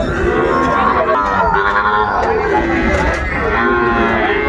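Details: Sahiwal bull calves at a cattle market, filmed 10 February 2025 as a farmer from Comilla buys young bulls; drawn-out harmonic lowing runs under a loud crowd of overlapping men's voices and bargaining.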